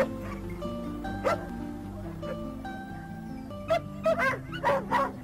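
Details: Karelian Bear Dog, a hunting breed that barks to mark where it has found game; one early bark, then a quick run of four or five sharp yelping barks in the last seconds, with music playing underneath the whole time.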